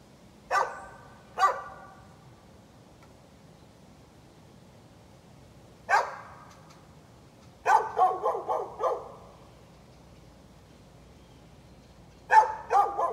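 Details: Neighbour's dog left outside barking for minutes, 13 November 2020: two single barks, a lone bark after a pause, then a rapid run of about six barks and a closing pair, with quiet gaps between.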